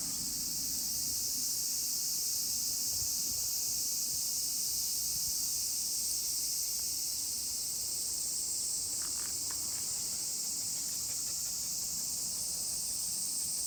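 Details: Many cicadas sing together during a summer walk with Colin, a miniature pinscher. Their chorus forms an unbroken, steady, high shrill hiss with no pauses. A few faint short clicks sound near the end.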